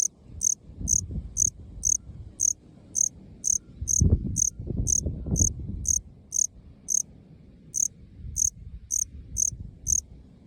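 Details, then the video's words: Male Melanogryllus bilineatus, a small black cricket of Okinawa found in short lawn grass of open park fields, calling with short high chirps repeated about twice a second; low background rumble and a brief louder noise midway. "虫の鳴き声 マメクロコオロギ オス♂ Melanogryllus bilineatus"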